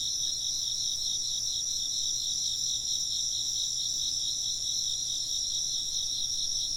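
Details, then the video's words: Shrill insect chorus, several callers trilling together in steady high bands, their quick pulses beating against each other in a constant, unwavering wash of sound. "風鈴の音と虫の声 - wind chimes and chirping insects"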